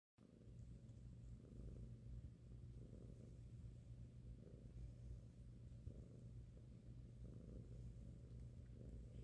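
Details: Young domestic cat, five months old, purring loudly while his head is massaged as he cuddles on a lap; a steady low rumble throughout with gentle rhythmic swells of breathing roughly every one to two seconds.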